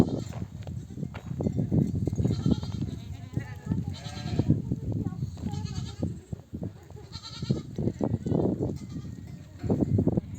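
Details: Mother sheep of a nomadic flock, returning from grazing among desert oak trees, calling lambs to suckle: several separate quavering bleats stand out above the steady shuffling and low clatter of the crowded herd.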